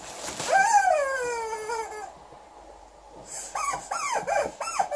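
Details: Female Alaskan Malamute angry at her new chicken toy: one long falling whine with clear overtones, a pause, then a run of short rising-and-falling yelping barks near the end, with a squeaky toy sound.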